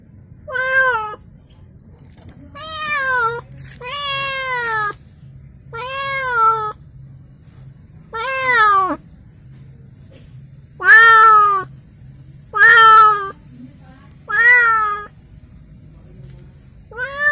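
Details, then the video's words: Newly gifted pet cat kept for now in a small cage, crying with loud drawn-out harmonic meows, about one every two seconds, each bending up then falling; a low steady hum runs underneath. "Ada temen baru kucing menangis"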